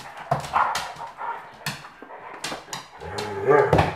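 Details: German Pinscher puppies of Litter T play with their mother Luna and a Doberman named Lemon indoors; short yips and barks burst out among scuffling, ending in a longer growling, whining bark.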